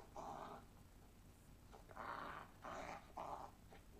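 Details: A dachshund, or sausage dog, makes four short muffled growling bursts in a quiet indoor room, each lasting about half a second.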